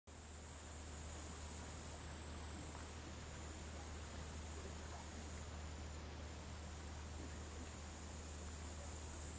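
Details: Bush cricket Tettigonia cantans singing in the background by a lake in Savonlinna, Finland, on an August afternoon in 2013: a continuous, very high buzzing hiss in long bursts broken by brief pauses, over a steady low rumble.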